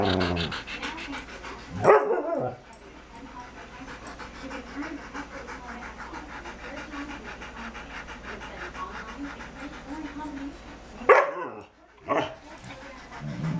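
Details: Dog Bella, wanting to play with Sid, pants in a steady, rapid rustle of breaths that runs through most of the recording, broken by two sharp louder bursts near the start and near the end.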